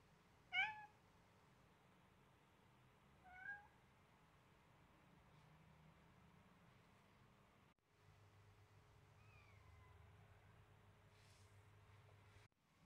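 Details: Seven-week-old blue-eyed Siamese kitten named Selena, playing roughly with a duckling indoors: two short high meows near the start, then a faint falling call later over low steady hum and brief rustling.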